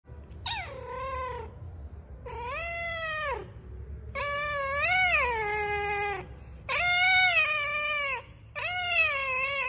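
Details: A cat gives five loud, drawn-out meows, each wavering and bending down at the end, spaced roughly two seconds apart over a faint low rumble.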